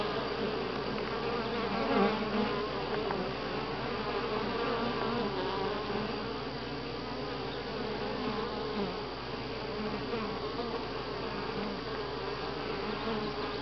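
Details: Dense, continuous droning of many honey bees at Grass Lake Sanctuary, week six, July 25, 2011; the hum stays level with slight swells and a brief louder surge near the second second.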